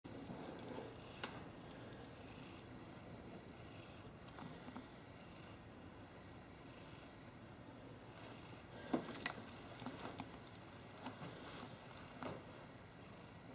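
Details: Two domestic cats, Tweak and Turbo, snuggling and play fighting together indoors; a soft, low, continuous rumbling purr runs throughout, with faint rhythmic breathy hisses recurring about every second and occasional light clicks and rustles.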